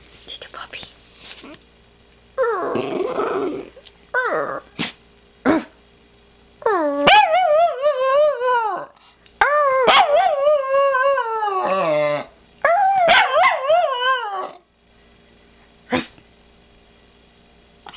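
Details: Pet female Miniature Pinscher giving drawn-out, quavering howls with rich harmonics, sliding up and then drooping at the end, after some short noisy sounds and a woman talking quietly early on.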